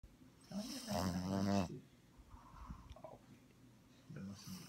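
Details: Ladybug, a Bugg puppy, sound asleep with eyes open and tongue hanging out, gives one loud rasping snore lasting under a second, followed by quieter breathing and a soft snort near the end.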